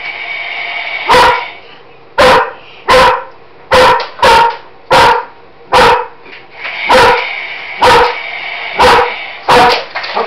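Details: Pet German Shepherd Roxy barking repeatedly at a Roboraptor toy in a kitchen, about a dozen sharp barks spaced unevenly, roughly one per second, over a steady whirring motor noise from the robot.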